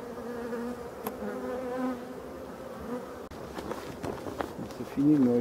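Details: European dark bees in a Voirnot hive among abandoned hives in a forest, being prepared for winter on 30 October 2021: a steady low droning hum with layered overtones, a few soft knocks, and a man speaking at the end.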